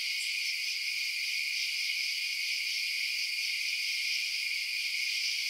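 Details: A dense chorus of crickets chirping at night hums as a bright, unchanging high trill, broken only by a brief faint tick at the start.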